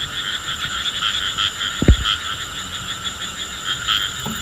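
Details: A rain frog, touched to make a drum-like sound, calls over a steady, high, trilling hum, with one dull thump midway.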